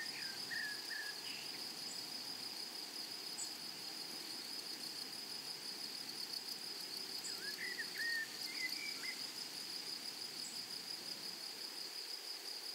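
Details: Grasshoppers in a flowery meadow or prairie give a steady, high, unbroken shimmering drone. Brief chirping bird notes rise above it near the start and again around eight to nine seconds.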